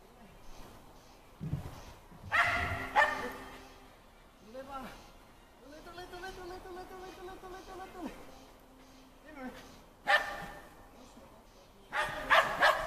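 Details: Timmy, a Shetland Sheepdog, is out on an agility course on the 4th of July. Short bursts of sharp barking come in separate clusters, with human speech and quieter sounds in between.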